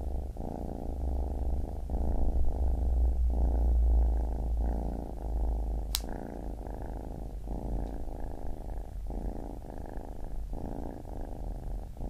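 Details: Low, throbbing purr of a baby kitten, rhythmic breath cycles about every second, one sharp click midway, otherwise steady and close.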